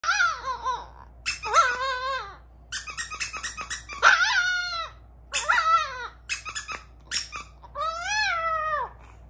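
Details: A Chihuahua howls in repeated bouts of wavering, arching cries rich in harmonics, each lasting about a second, with short squeaky sliding phrases and brief pauses between bouts.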